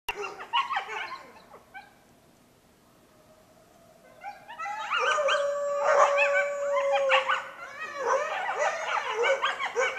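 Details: Coyotes, recorded through an open window, yip and yelp, then break into a wavering group chorus over a steady held howl.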